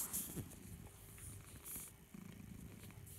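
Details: Naughty but cute house cat suckling his beloved teddy bear, purring in a low, soft rumble that pulses steadily and grows more rhythmic toward the end, with faint rustling and hiss in a quiet room.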